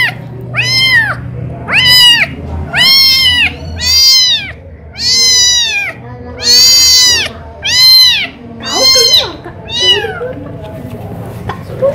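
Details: Thirsty kitten calling for its mother's milk; clear, loud meows, each rising then falling, about nine in twelve seconds at roughly one-second intervals, with faint voices beneath.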